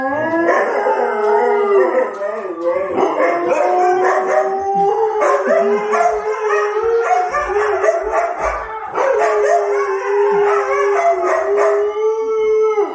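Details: Four Siberian Huskies howl together in response to police siren sounds played for them, long wavering tones overlapping in a loud chorus.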